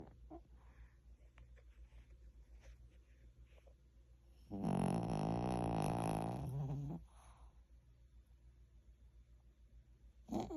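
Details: Sleeping Pomeranian dog snoring indoors: one long, loud, low rasping snore of about two and a half seconds, with soft, regular breathing sounds before and after.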